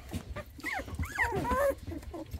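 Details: Two-week-old English Springer Spaniel puppies, just woken after their mother walked in and out, whimper as if asking where she went: several overlapping thin, wavering squeals rising and falling, with short yips and soft rustling.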